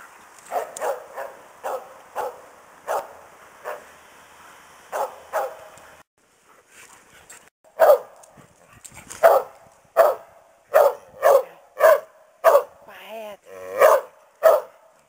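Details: Karelian Bear Dog barking, the mother of a pack named Kukka scolding her rowdy pups during play; sharp barks repeated irregularly, softer early on, then a louder, faster run of barks in the second half, with a short whine between.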